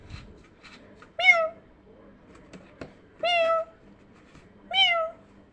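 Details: Kittens react to a meowing sound. Three short, clear meows about one and a half seconds apart, each rising then falling, with faint indoor rustles and taps between them.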